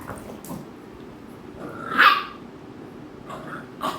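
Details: Pet American Bully dogs Ami and Mikku, with Ami annoying Mikku; a single loud bark with a tonal yelping edge in the middle, plus fainter rustles and soft sounds around it.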